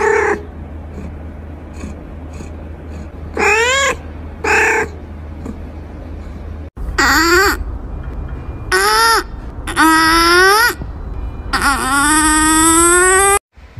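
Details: Repeated meows from playful baby kittens: about seven calls, most short and falling, then a final long, loud, wavering meow, with low background rumble between them.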